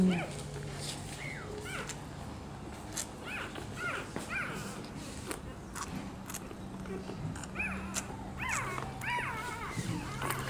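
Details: Rottweiler puppies nursing from their mother; repeated high, thin whimpers and squeaks rising and falling, scattered through the clip over a steady low hum, with a woman speaking Portuguese softly in the background.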